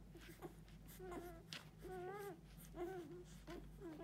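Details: Six-day-old Golden Retriever puppies nursing eagerly at their mother's teats, F litter 2022: drawn-out whining squeals with wavering, slightly rising then falling tones, four main cries over a few seconds, over a steady low indoor hum.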